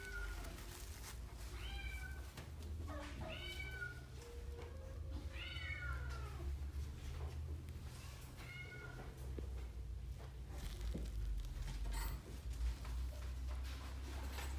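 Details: Indoors, an American Shorthair cat gives a run of high, bent meows, some rising then falling, several clustered in the first ten seconds, then quieter; a strong low rumble runs underneath throughout.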